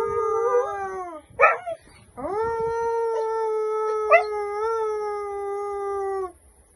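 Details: Domestic dog howling along with people singing a cheerful song: a sustained, even howl lasting about four seconds after a short wavering opening note, with brief yelps and voices in the background.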